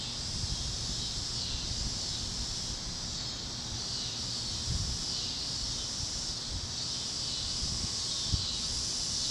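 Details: At sunset over the Kansas plains, a cicada chorus forms an unbroken high hiss-like buzz that rises and falls softly in slow waves, over faint low background rumble and occasional light rustles.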